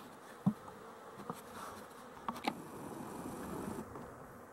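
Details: Honey bees (12-11-23) give a low, even buzzing hum; a loud tap comes near the start and a few softer clicks follow.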